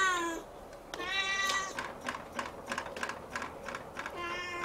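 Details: Siamese kitten staring up at the ceiling and meowing on and on with a long "nyao". Drawn-out, wavering meows come at the start, in the middle and at the end, with quick clicking taps in between.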